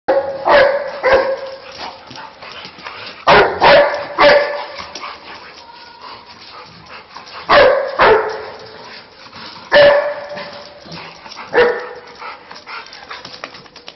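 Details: Dog giving repeated loud barks in short clusters of one to three, spread over about fourteen seconds, with quieter voices and household sounds in the gaps.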